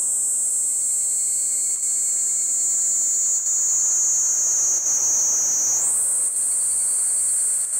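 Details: A Kaempfer cicada, singing with evening cicadas in woodland at Kejonuma, Japan, gives a continuous, shrill, high-pitched buzz that barely wavers, then steps slightly higher.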